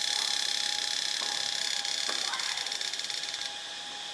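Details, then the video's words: A cicada from Ubon Ratchathani, Thailand, gives a rapid ticking, rattling buzz of fast, even pulses over a high whine. It fades abruptly to a softer hum after about three and a half seconds. "เสียงจักจั่น (Cicadidae)"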